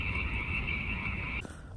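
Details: Many mountain chorus frogs calling together in spring, recorded on a phone: a steady, high, rasping trill chorus that cuts off abruptly near the end, followed by a dull thump, over low rumbling background noise.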